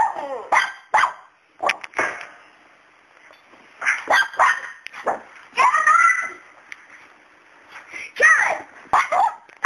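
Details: Domestic dog barking at a fearless cat named Miracle, who stays unbothered while he remains afraid of her; short sharp barks come singly and in quick pairs, with people talking and exclaiming between them.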